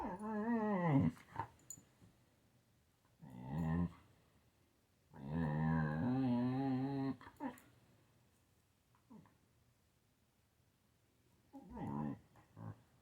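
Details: Siberian Husky playing with a kitten indoors, letting out warbling, harmonic growl-moans in bursts of one to two seconds, the longest wavering for about two seconds mid-clip, separated by quiet gaps with faint rustling.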